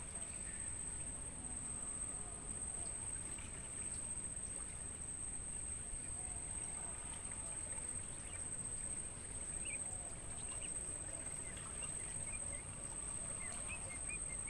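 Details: Crickets filling a natural mangrove forest, recorded for songbird training, sustain a level, high-pitched continuous trill; scattered faint bird chirps appear, growing busier near the end, over a steady low rumble.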